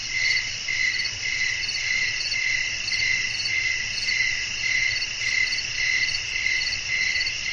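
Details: Night insects, crickets, calling amid a calm outdoor scene with wind blowing. Rhythmic high chirps pulse almost twice per second above a continuous shrill drone, with faint low-pitched background noise.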